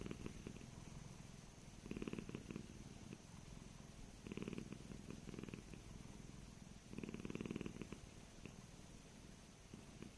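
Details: Korat cat about 15 years old, born and raised in Thailand and now living in England, out in a garden; low, rumbling pulsed purring in three bursts near two, four and seven seconds over a steady faint hiss.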